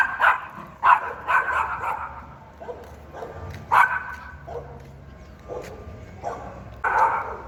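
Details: Pinscher barking fiercely and loudly, a string of sharp, irregular barks of varying length spread across the recording, some quick and clipped, others longer and rasping, with quiet gaps between.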